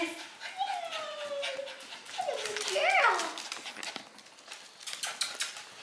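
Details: Brandy, an eight-year-old AKC champion Havanese, recorded 7-6-15: a long, drawn-out whine slides downward, then a higher wavering whimper climbs and falls, while a person keeps calling her name and praising her.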